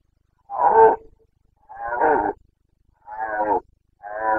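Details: Red deer stag of the Carpathians bellowing in the September rut in Bucovina, Romania: four rough, harmonic roars in quick series, each under a second, roughly every 1.2 seconds.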